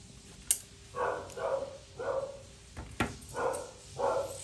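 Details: Poodle mix dog on the grooming table barks steadily, about one bark every half second, interrupted by a couple of sharp knocks or clacks.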